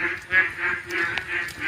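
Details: Frogs croak all around in a steady chorus during heavy rain in the monsoon season, early morning before seven, nasal pulsing calls overlapping every half second or so.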